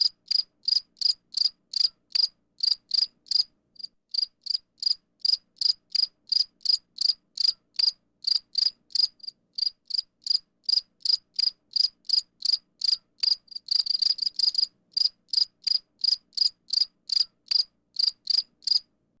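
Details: Cricket chirping steadily, short high-pitched pulses repeated about three times per second, sharp and evenly spaced, with a brief burst of denser chirping midway; no other sounds.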